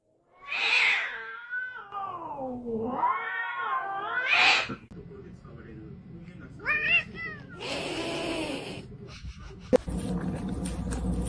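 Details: House cat with long, wavering meows that dip and rise in pitch, then shorter upturned mews, mixed with voices and background music in a room.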